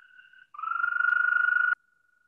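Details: Eastern American toad, which breeds for about two weeks a year in early spring and is usually heard at ponds: a long, steady musical trill on one pitch lasting over a second, with rapid even pulses, preceded by a fainter trill.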